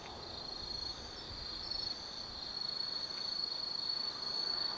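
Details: High-pitched trilling of autumn insects after dark in a hillside forest at Kaizu, Gifu Prefecture, Japan; a sustained ringing tone with brighter pulses building toward the end, layered over faint background hiss.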